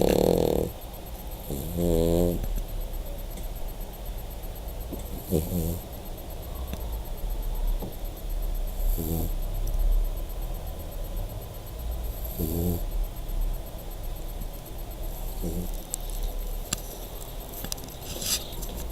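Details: A sleeping dog snores in low, rough rumbles. Short, rattling, buzzy bursts recur every few seconds over steady, noisy breathing.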